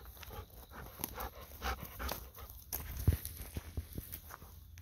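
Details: Golden Retriever on a chilly autumn night walk in the rural countryside before heading home, breathing in quick, rhythmic, breathy pants that repeat several times a second, with soft footsteps and rustling close by.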